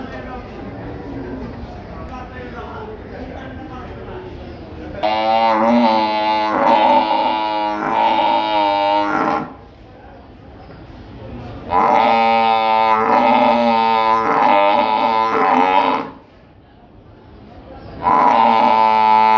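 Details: Water buffalo at the buffalo market in Gabtoli, Dhaka, giving long, deep, drawn-out bellows of about four seconds each, three in a row with short pauses between, over a low murmur of market voices.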